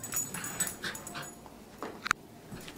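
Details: A Dachshund running around with a new ball gives a few short, high, whiny yips and whimpers in quick succession.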